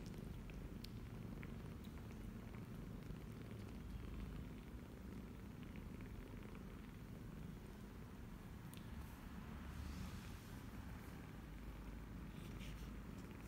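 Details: Twenty-eight-day-old kittens nursing from their mother, a former stray, in Cambodia; continuous deep purring rumble without a break, with light suckling clicks and a brief soft hiss of movement near the end.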